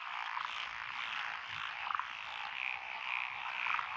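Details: Frogs calling together in lotus rice paddies in Echizen, Fukui Prefecture, Japan, on 12 June 2021; a thick, even croaking chorus with a few louder clicking croaks and brief chirps standing out.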